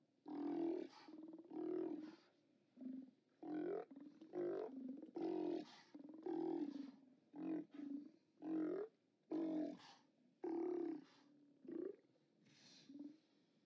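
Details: Steller sea lions at a haulout on 29 October 2017: loud, deep, hoarse roars repeated about once a second in uneven bursts, each a throaty bellow with short pauses between, other animals faintly audible behind.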